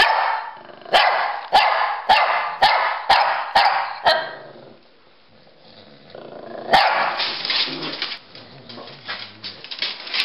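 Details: Playful barking from a Pekingese and a Bulldog, Rocky and Bully, chasing each other: a run of sharp barks about every half second, a quiet pause, then one loud bark and continuing scuffling, growly noise.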